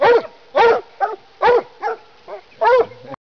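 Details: Black and Tan Coonhound treeing from up in a tree, giving a run of six or seven harsh, ringing barks of uneven length, roughly every half second, some short and clipped, others drawn out.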